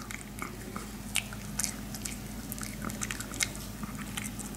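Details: Maltese puppies eating pig ear slices indoors, with sharp crunchy bites and clicks scattered through a steady low hum.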